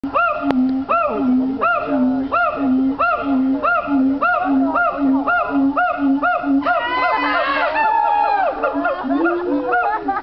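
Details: Siamang singing: a steady series of rising, hooting whoops repeated roughly twice a second, then a louder, wavering burst of overlapping calls near the end.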